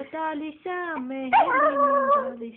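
A Yorkshire Terrier sings in drawn-out, wavering howls that dip and swell in pitch.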